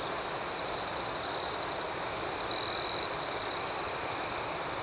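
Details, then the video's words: Nocturnal crickets: an unbroken high-pitched ringing with quick rhythmic chirps about four per second. A single louder, clear trill lasts about half a second partway through. "Soothing Cricket Sounds"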